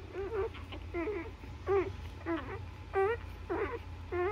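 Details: Nursing newborn Labrador Retriever puppies make high, wavering whimpers, each rising then falling, repeated about every half second in a quiet room with a low background hum.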